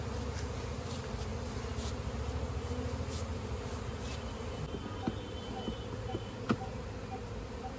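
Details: Steady low drone of many honey bees around a comb during village honey harvesting in India, with a few sharp clicks and a brief thin whine late on.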